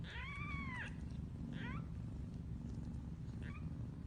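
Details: Mother cat calling her kittens: a long, clear arching meow followed by two shorter rising meows, over a constant low rumbling hum.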